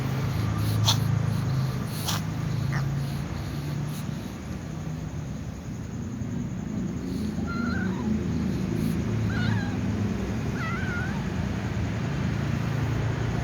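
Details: White cat before eating alongside other cats, giving three short, faint, wavering meows in the second half, spaced about two seconds apart, over steady low background rumble with a few sharp clicks early on.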